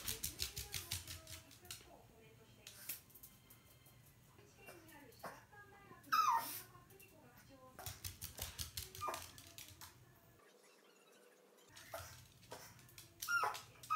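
A Chihuahua whines in thin, wavering, high-pitched bursts, anxious at being parted from its companion.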